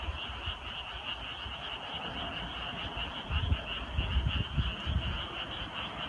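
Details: Frog chorus on a deepening summer night: a steady dense band of high trilling calls runs throughout, with lower irregular croaks pulsing beneath, louder and bunched in the second half.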